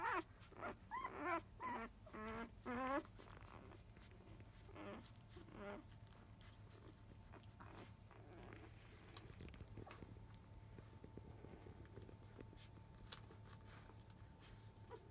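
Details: Five-day-old field-type Labrador Retriever puppies, born to the mother biscuit, fussing loudly as nursing begins just after 1 pm. A quick burst of high, wavering whines fills the first three seconds, then only quiet shuffling and a steady hum remain.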